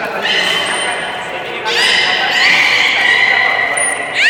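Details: Captive beluga at Nagoya Port Aquarium, public training on 24 March 2018 at the 16:30 session: sustained buzzy harmonic squealing that ends in a sharp upward chirp, with a short piercing whistle and voices in a reverberant hall.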